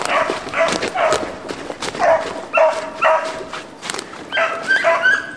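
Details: A pack of beagles hunting roe deer, with hunters on foot carrying sticks, gives loud, tonal, ringing bays with strong overtones. The bays repeat about twice a second in uneven bursts, with some higher yelps near the end.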